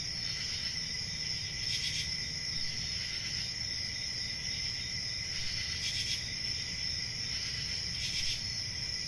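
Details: A steady piercing cricket trill carries through, punctuated by three brief louder bursts of chirping spaced a few seconds apart, over low background rumble.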